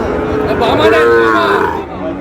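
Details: Sahiwal bull calf lowing during a cattle sale, bought by a farmer from Cox's Bazar, Bangladesh. A single drawn-out moo swells and then fades over about a second and a half, while people haggle over the price nearby.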